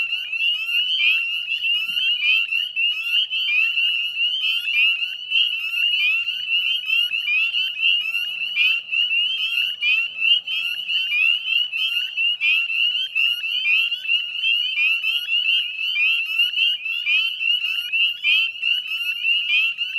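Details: Dense dusk chorus of northern spring peepers beside the Chezzetcook salt marsh, Nova Scotia, in May: countless shrill upslurred peeps stacked together into an unbroken, ringing high-pitched din.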